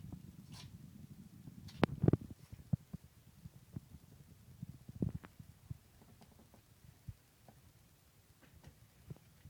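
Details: Aftershock sneezes from Meowzer, a male cat, following a violent sneezing fit lasting about a minute: a breathy burst early on, then a cluster of sharp explosive sneezes around two seconds, with fainter clicks and snuffles trailing off.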